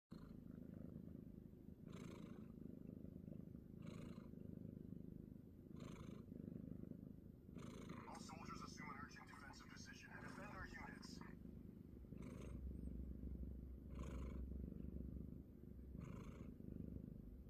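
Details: A sleeping pet cat snores while its owner plays a computer game. Soft, low rumbling breaths rise and fall about every two seconds, with clicking and game sounds in the middle of the recording.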